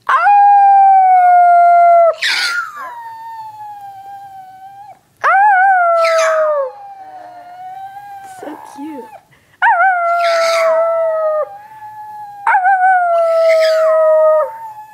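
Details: Dog named Onyx howling repeatedly: four swooping howls, each rising then gliding down and trailing into quieter wavering tones, with rough noisy bursts partway through each.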